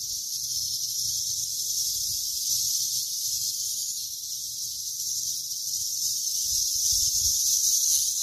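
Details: A cicada gives a steady, high-pitched buzzing drone that holds without pause while grass is being cut.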